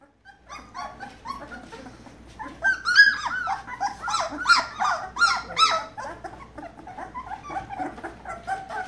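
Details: Two-week-old Belgian Malinois puppies, a day past two weeks and gaining weight daily, indoors; a busy overlapping chorus of high squeaky whimpers and yelps, rising and falling, several pups calling at once in a small room.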